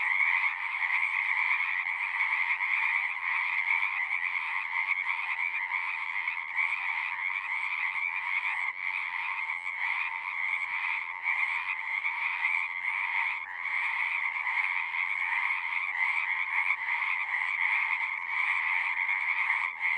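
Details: Singing frogs fill a pond in a horse pasture, recorded on a Zoom 6. A long, unbroken chorus of shrill overlapping trills over a lower buzzing band, with small rhythmic swells but no pauses.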